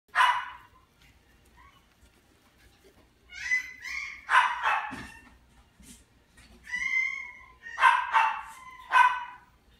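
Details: Yorkshire Terrier in a pet shop, giving several sharp, high yipping barks in short bursts with pauses between, some drawn out and whiny; faint room hum underneath.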